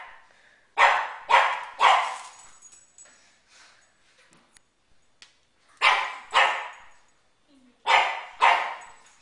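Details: A pug barking at balloons indoors: sharp barks in pairs, repeated in bursts with pauses of a few seconds, a person speaking briefly in between.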